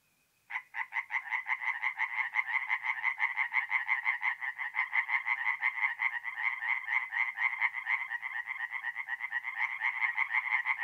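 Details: Tree frogs at a forest pond in north-east Italy on an April night start up abruptly after a faint tone, then keep up loud, rapid, rhythmic croaking, several callers overlapping.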